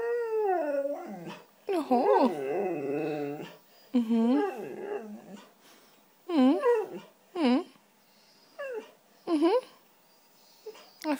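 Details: A white female Siberian Husky talking because she wants cheese doodles gives a series of howly, yodeling vocalizations: long wavering moans followed by short rising-falling whoops in separate bursts, with a person speaking between them.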